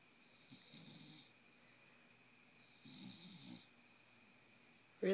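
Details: Miss Piggy the bulldog snores while awake: two soft, rattling breaths a couple of seconds apart, then a sudden burst of speech at the very end.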